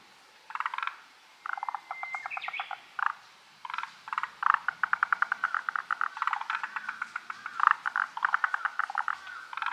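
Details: Unseen forest green tree frogs in a dense chorus, long trains of fast rattling pulses overlapping almost continuously, with a few separate short croak bursts between.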